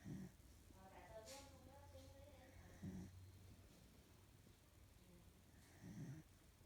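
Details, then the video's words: A sleeping female corgi snores, with three low rumbling snores spaced about three seconds apart, with brief higher voice-like sounds between the first two snores. "Corgi snores"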